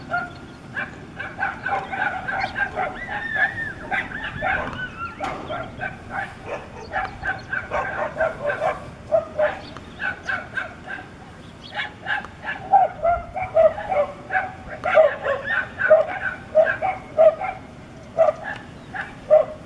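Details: Five dogs fighting a wolf in a bloody clash: dense bursts of excited barking, yelps and high whimpering calls overlap throughout, growing sharper and more frantic toward the end.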